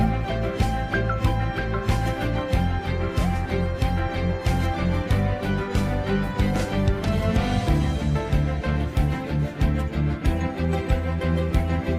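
Steady rhythmic background music with deep bass and no animal voices.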